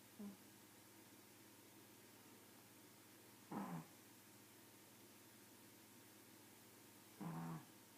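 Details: Pug snoring: three low, rough, droning breaths spaced about three and a half seconds apart, each a short raspy burst with quiet pauses between.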